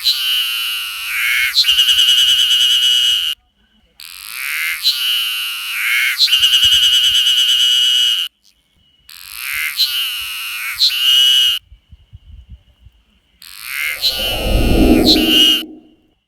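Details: Ezo haruzemi cicada with a distinctive call: loud, tonal, nasal phrases lasting two to four seconds, each throbbing with a quick rhythmic pulse and ending in a stronger accent, separated by short silences; a brief rustling thump near the end.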